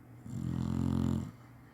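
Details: Chinese Shar-Pei taking a nap, as usual snoring: a single deep, buzzing snore lasting about one second, steady and rough-textured, with a quiet room hum behind it.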